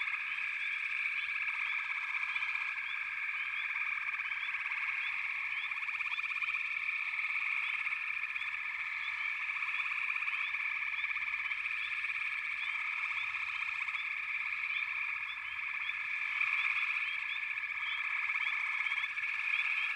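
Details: Many frogs calling together in a continuous, buzzing chorus that swells slightly near the end, scattered with quick upward chirps above the sustained trilling.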